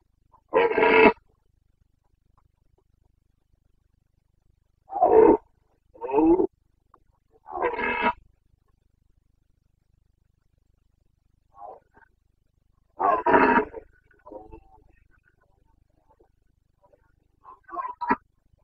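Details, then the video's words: Carpathian stag roaring during the autumn rut in Bucovina, Romania, 29 September 2022: short harsh bellows, some in quick pairs, spaced by several seconds of silence, with faint softer grunts in between. "Boncănit / Carpathian stag Breeding season"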